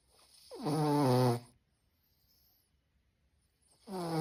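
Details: A pug dog snoring: a long rumbling inhaled snore with a rough, harmonic-rich drone lasting about a second, then a quiet pause, and a second snore beginning at the end.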